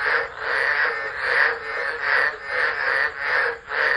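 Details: Frogs singing in a tropical low at Driver, Northern Territory, Australia, 13 December 2013, phone left on the ground; loud buzzy chorus rising and dipping about once per second, harsh rasping calls blending into a steady wall of sound.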